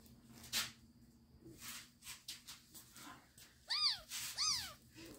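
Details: Kittens fighting: short breathy, hiss-like bursts give way to two loud, arched mewing cries, each rising briefly then sliding down in pitch, about half a second apart near the end.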